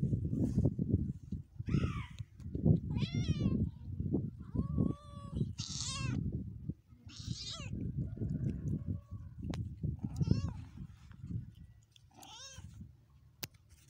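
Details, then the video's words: Cats in a 2022 compilation give a run of roughly seven short, thin, trembling meows, some bending upward and others sliding down, spread across fourteen seconds above a loud, rumbling low background. "cute cats compilation 2022"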